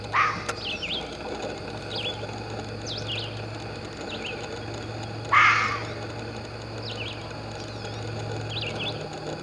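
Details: Fox giving a rasping bark near the start and a louder, clearer one midway, each brief and raspy, with small birds chirping throughout and a faint low drone behind.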